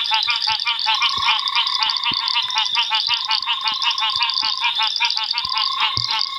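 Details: A dense mixed chorus of puddle frogs, banded rubber frogs and other frogs gives rapid, rattling clicks and trills at a rain-filled ephemeral pan after a heavy African summer downpour at Londolozi.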